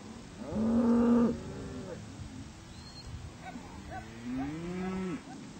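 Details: Herd of cattle driven to the hills onto spring range, one loud sustained moo lasting about a second, followed by softer, wavering lower moos from other animals toward the end, faint human voices in the background.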